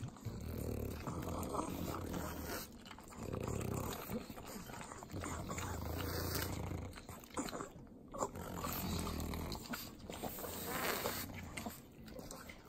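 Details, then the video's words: Three pug dogs eat butter in Southern California's Inland Empire. Wet, sloppy licking mixes with deep rumbling snorts that come in long low bursts, separated by brief quieter gaps full of clicking tongue sounds. "ASMR Pugs Eating Butter - Calming Sounds of Sloppy Licking, Snorting"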